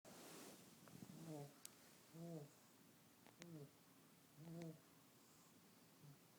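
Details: Fat, lazy pug asleep and snoring: low rumbling snores with harmonic buzz, about one per second in irregular bursts, in a quiet small room.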